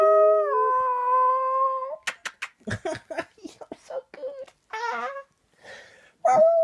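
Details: One-year-old male Shetland Sheepdog singing: a two-second howl stepping down then level, followed by clicks, rustling and people talking, a short wavering yowl, and a final rising howl at the end.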